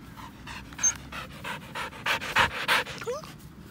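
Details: Pasepon, an elderly white Samoyed on a lawn, pants in quick broadband breaths about three per second, some louder than others, with a few faint bird chirps and a short whistle-like note in the background.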